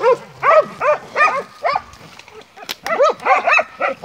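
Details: Montenegrin Mountain Hounds on a hunt giving rising-and-falling baying barks, about two or three a second, with a brief lull midway, then resuming in a quick run.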